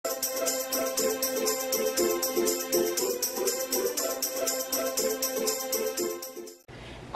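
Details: Upbeat music with tambourine and jingle bells plays steadily, then cuts off abruptly near the end, leaving a short stretch of quiet noise; no animal voice is heard.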